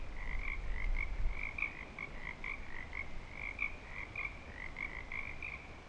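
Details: At Clearwater Commons in breeding season, frogs croak in a busy chorus, short notes repeated nearly three times a second in loose rhythm, a lower harmonic echoing each, over some low-pitched background rumble.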